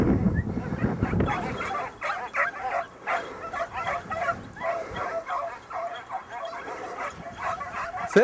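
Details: Kopoy hunting hounds in full cry after a flushed hare during a hare hunt. Repeated short baying yelps come in quick succession, overlapping and uneven, with a noisy outdoor background and some speech at the start.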